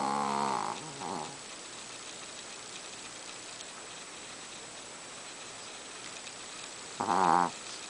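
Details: Chihuahua snoring in a deep sleep, a small dog making a lot of noise: two short harmonic snorts near the start, a long quiet pause, then one louder rasping snore near the end.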